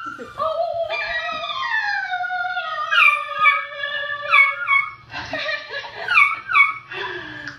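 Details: Male Italian Greyhound howling while watching, with long drawn-out wavering tones that slide downward and then rise again in several overlapping glides, broken by short yelping notes near the end, with faint background music.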